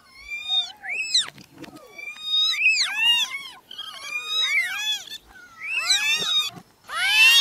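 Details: Newborn kittens crying in a dense chorus of shrill, rising-and-falling meows, many voices overlapping, with a brief lull near the middle and a sharper, brighter cry at the end.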